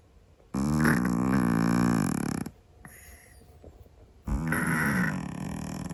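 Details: Noisy snoring of a sleeping Scottish Fold cat, a long harsh rumbling breath of two seconds followed by a second one after a brief quiet pause.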